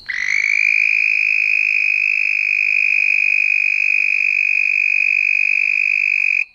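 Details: Two red-spotted toads mating at night in a back yard; one gives a deafening, long, high, musical trill, steady in pitch for several seconds.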